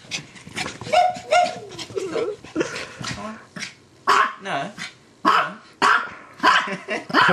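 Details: Playful female pet dog, called Anna, barking and yipping excitedly during play, with a series of short barks roughly every half second to second, some with rising-falling yelps, and occasional human voice in the room.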